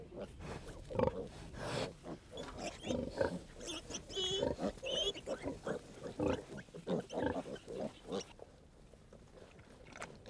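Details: A hungry sow wearing a nose ring, kept in an enclosure on a farm, grunts in short, low, rough bursts, several each second and fairly steady, while a narrator speaks over them throughout.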